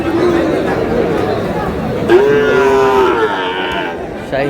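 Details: Sahiwal bull calf, seven to eight months old, for sale at a crowded cattle market: one steady, drawn-out low moo lasting about a second, with men bargaining and chattering all around.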